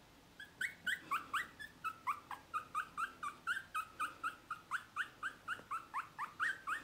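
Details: Male dog (Rüde) from a litter, giving high, rising whimpering yelps that bend upward, repeated steadily about twice per second in a long even series over quiet background hiss.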